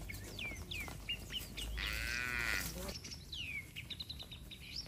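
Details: A herd of tame cattle heading home to their shed calls out to companions. A single moo rises above a soundscape of frequent small bird chirps and general outdoor noise.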